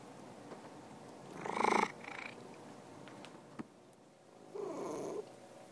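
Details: Domestic cat giving a purr-like rumbling burst, then a louder, brief vocal swell and a softer closing rumble, with small clicks and room noise between.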